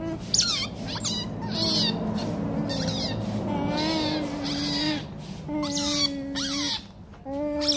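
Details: Rottweiler puppies fighting, giving drawn-out wavering whines with sharp high squeals and yelps breaking in between them, the whines rising and falling in pitch across the scuffle.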